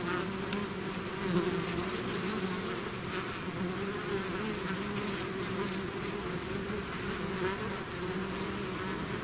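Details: The even, droning buzz of a bee swarm pouring from its hive, with a deep humming base, some closer passing wingbeats and a bright fizzing layer on top.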